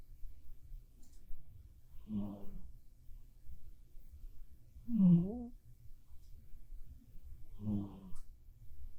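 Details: Sleeping black cat named Bappuri snores in a small room: three deep, throaty rasping breaths spaced about three seconds apart, the middle one louder with a brief wheezy edge.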